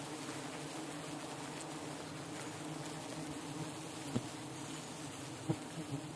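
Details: Hundreds of thousands of giant honey bees being released in the morning after relocation at an agricultural college in Namakkal; a dense, steady low droning hum runs throughout, with a few brief sharp knocks near the end.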